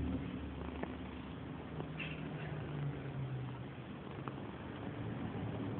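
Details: Purdy, a female pet cat, purring loudly while rubbing affectionately: a steady low rumble with fine rapid pulsing, a faint brief squeak near the middle.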